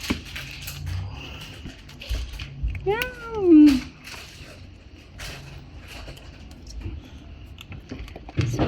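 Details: Newborn Persian kitten indoors giving one drawn-out meow midway that rises, then slides down into a lower, strained tail. Faint voices and soft handling noises sit in the background before and after.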